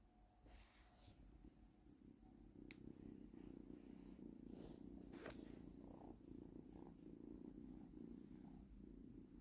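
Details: A domestic cat in hunting mode while chasing a laser pointer gives a steady, low, purr-like rumble with a rapid pulsing texture.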